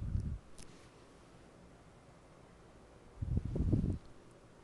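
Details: Two short bursts of low, muffled bumping and rustling stand out against a faint steady hiss. No bark, whine or other animal call can be picked out.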